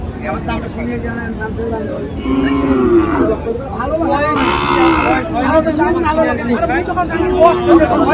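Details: Friesian and crossbred bull calves at Ambari cattle market in Dinajpur on 19 February; low drawn-out moos with wavering tones rise over constant crowd chatter and men talking nearby.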